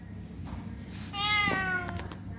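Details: A street cat in Thailand at feeding time utters a single high, thin meow of nearly a second, level then slightly falling, against a low hum with brief soft clicks and handling noises.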